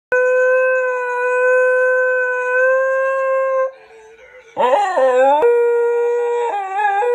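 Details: Basenji. A Basenji gives its characteristic yodel, starting with a sustained, level howl-like note. After a brief pause the voice returns warbling, sliding up and down before settling into steady tones again.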